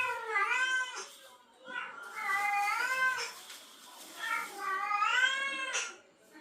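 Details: Domestic cat in heat, a female responding to a male's calling; long drawn-out harmonic yowls rising and falling in pitch, three wailing calls about every two seconds, indoors.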